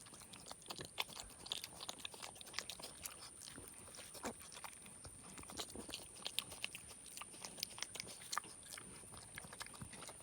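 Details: Young male pig, a boar about four and a half to five months old, adopted from near a road, eating leftover homemade chocolate donut glaze indoors; rapid wet crunching and smacking chews repeat densely throughout, with a steady high electronic whine behind.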